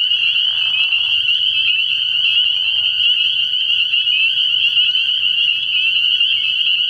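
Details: Dense nighttime chorus of spring peepers at a frog pond in early spring, sharp high peeps overlapping into one unbroken ringing sound over a soft, low background drone.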